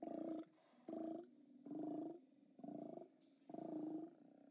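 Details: Steller sea lions calling at their haulout on 29 October 2017, five deep, buzzy roars, each about half a second long, spaced roughly a second apart, with a steady low rumble between them.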